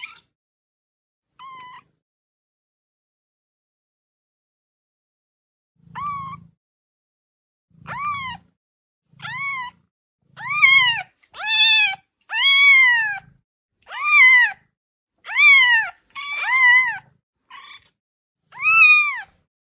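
A kitten gives high, thin meows that rise and fall, growing louder and more frequent.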